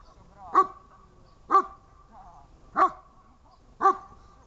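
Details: Dog barking during a protection training session dated 1.07.18, four sharp single barks spaced about one second apart with faint background noise between them.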